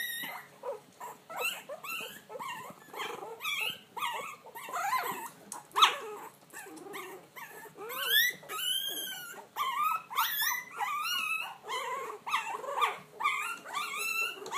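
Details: Several puppies howling together in a busy, overlapping chorus of high yips, whines and wavering drawn-out howls, some arching up and down, with a steady faint hum beneath.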